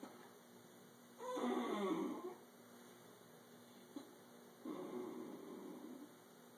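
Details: A 13-year-old male Italian Greyhound makes two drawn-out, moaning grumbles, upset over a taken blanket; he stares at his owner and "talks" this way every morning and night.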